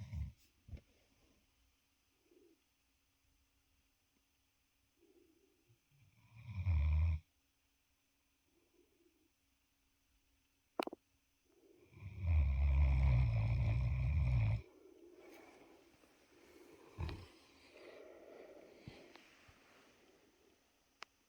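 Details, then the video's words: Great Dane named Wächter, sleeping indoors and snoring: a short, low rumbling snore of about one second, then a longer, deep, rasping snore lasting over two seconds, with soft breathing and quiet stretches between. "Great Dane Love Snoring"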